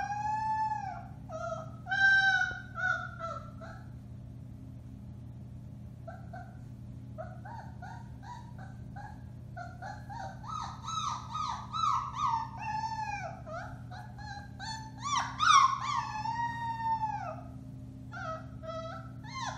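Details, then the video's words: A chorus of four-week-old Alaskan Malamute puppies, Bema and Cole litter, March 30, 2021: short, bending yips and howls come in loose bursts, quieter in the middle, then building to louder wavering cries. "Alaskan Malamutes: Bema & Cole Litter, March 30, 2021: Puppy Howling, 4-weeks old"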